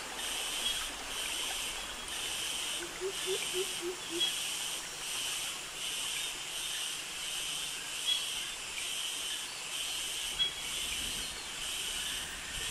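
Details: Cicadas in tropical jungle near mangroves in Krabi, Thailand, with crickets: a dense, high hissing chorus that pulses in steady waves about every second, with a few soft low notes near the four-second mark.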